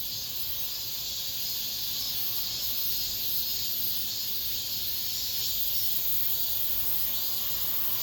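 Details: The final cicada song of the summer among apartment buildings: many cicadas blend into one unbroken, high, sizzling buzz that holds steady for the whole stretch with slight rhythmic pulsing.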